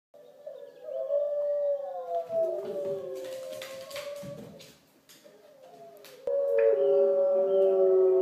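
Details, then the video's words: Female Pembroke Welsh Corgi puppy indoors howling along with wolf howls played on a computer: long sustained, slightly wavering mid-pitched howls that slide gently downward, a quieter dip midway, then a louder, steady howl resuming. "Corgi puppy howls along with wolves"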